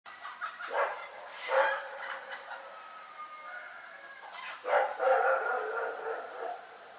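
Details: Rex, a dog, barking at night in Pyrga: a couple of short harmonic barks early on, then a louder cluster of rough barks around the fifth second, over a faint steady background hum.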